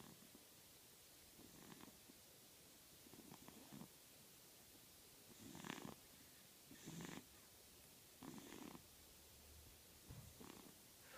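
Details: Sleeping pug puppy snoring: short, soft, raspy snorting breaths arrive about every one to two seconds. Quiet and close, with no other sounds.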